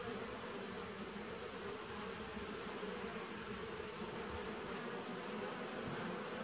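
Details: Steady colony drone from a 2017 bee nuc, taped on 19 September 2018; an unbroken low buzzing hum holding one pitch with a clear overtone, even in loudness throughout, backed by constant hiss.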